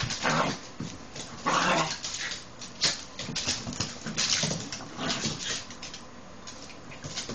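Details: Rat Terrier puppy Cara, only 10 weeks old, at play with older household dog Sassy: noisy bursts of huffing, snuffling whines and scuffles come in clusters every second or two, alongside indoor rustling.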